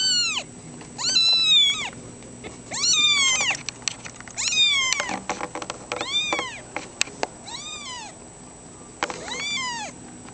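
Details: Foster kittens including Runty and Toad mewing insistently: about seven loud, high, arching meows arrive roughly every second or two, with brief pauses and light taps between them.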